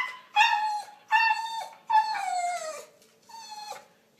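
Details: A talking dog gives four tonal, howl-like whines, each under a second. They hold steady, then drop at the end. The third is longest and slides downward, and the room is otherwise quiet.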